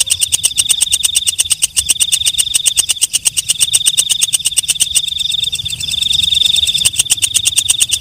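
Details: Walang kecek (night grasshopper) at night, giving rapid, evenly spaced metallic ticks, about three a second, over a thin high ringing tone. A brief smoother, buzzier trill comes near the end before the ticking resumes.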